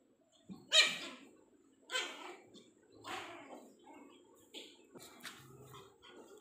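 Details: Mini Pomeranian dog playing with its owner indoors, giving five short, sharp, high-pitched yips spaced about one second apart, the first loudest, over a quiet room background.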